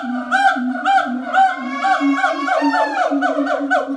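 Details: Siamang calling at Ragunan Zoo in captivity: loud, hooting, tonal notes with rich harmonics, rising and falling in rapid repeated swoops about twice per second, continuous and regular throughout.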